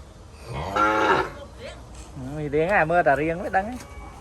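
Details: A calf in a crowded Cambodian cattle pen crying out for its mother: one loud moo, then a wavering, quavering bleat that rises and falls several times, with a few voices in the background.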